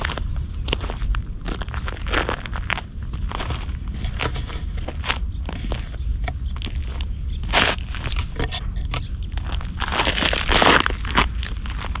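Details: Crunching footsteps on gravel or leaves continue steadily, with rustling and scraping over a low outdoor rumble.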